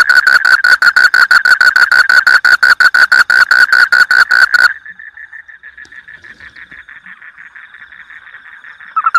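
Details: Frog in a rice paddy delivering a quick series of loud, crisp clicks for several seconds, then stopping abruptly, leaving a faint steady hum of distant callers.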